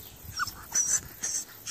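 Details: Harry, a 13-week-old Staffordshire Bull Terrier puppy, climbing a ladder, gives one short high whimper followed by soft, breathy snuffling bursts and faint noises.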